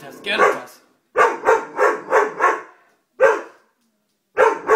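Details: A Doberman gives loud, rough barks in uneven groups: a single bark, a run of five quick ones, then a lone bark and a final pair, with short silences between.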